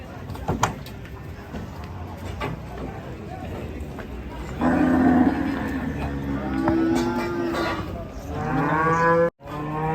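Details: Angry cattle in Indonesia: after scattered knocks and clatter, loud sustained bellows begin midway, followed by a high, rising moo before a short cut.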